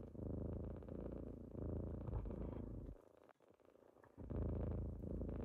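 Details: Kittens purr loudly on a morning when they wake their owner; the low rumble pulses for three seconds, breaks off into a quieter, shuffling pause, then resumes at full strength.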